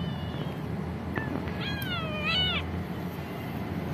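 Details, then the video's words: Kitten at home answering its owner with a short pair of high, wavering meows, the second bending downward, against a low steady hum and faint room noise. "Cute Kitten in family pet cat Reply with me "Meow Meow""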